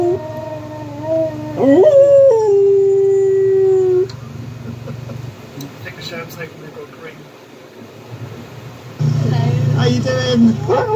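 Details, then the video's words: Domestic dog howling together with another dog: a long wavering howl that jumps upward then holds a steady lower tone for about two seconds, followed by quieter whimpers and clicks over a constant low hum. "Doggo howling with Doggo."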